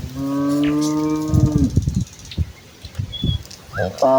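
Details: A village cow in a herd walking towards the fields in the morning gives one long, steady, low moo lasting about one and a half seconds, then soft thuds and rustling, and a brief call at the end.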